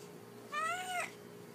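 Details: House cat giving a single clear meow while asking for something indoors: one half-second harmonic call, rising slightly then bending upward at the end, over faint steady room hum.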